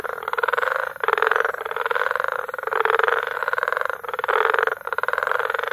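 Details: Frog chorus recorded in May at Bagamoyo, Tanzania: dense, rapid pulsed calling in the mid range, swelling and dropping in bursts roughly every second or two, with many callers overlapping continuously.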